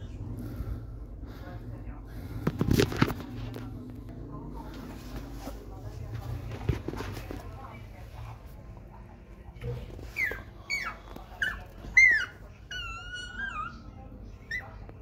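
A Belgian Malinois puppy gives a burst of shrill, wavering squeals after a stretch of muffled background noise.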